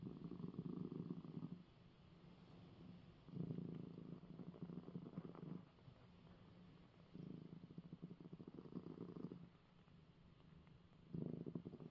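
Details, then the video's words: Male house cat purring after being given eye medicine, a steady low vibrating rumble that swells into louder bursts roughly every four seconds and fades between them, indoors with no other sounds. "#cat #coco #purring #after #receiving #his #eye #medicine"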